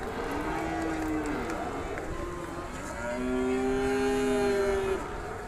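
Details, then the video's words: A small, cute calf calling with soft, drawn-out nasal moos, a short call followed by a longer steady one, over a faint background hum. "suara sapi kecil lucu imut"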